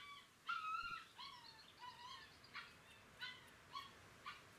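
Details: A litter of young Galgo Español pups, filmed on 30 May 2018, whimpering: a longer clear whine opens, followed by shorter rising and falling squeals and brief yelps spaced about half a second apart.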